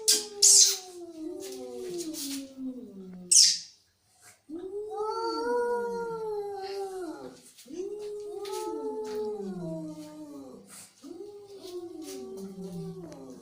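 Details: Angry cat giving a series of drawn-out harmonic yowls, each arching up then sliding down over one to two seconds, with short sharp hissing or spitting bursts near the start and brief pauses between calls.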